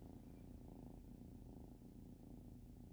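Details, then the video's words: Randall, a pet cat, purring steadily: a low, continuous rumbling pulse held evenly throughout, soft and close with no other sounds. "Randall purring"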